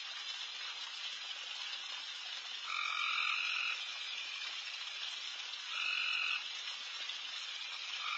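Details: Insanely loud frogs calling all over a backyard late at night while deer feed: a dense, hissing chorus with two louder droning calls, each about a second long, rising out of it.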